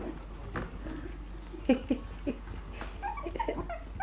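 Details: Shih Tzu puppies named Chip and Dale, aged five and six and a half weeks, give a few short sharp yips followed by thin, high whimpering squeaks while a person softly coaxes them to come out.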